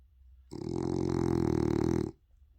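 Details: A pet French Bulldog gives a long, low snore, a rough buzzing rattle that swells and holds steady for about a second and a half, likened to an old man's snoring, amid quiet room sound.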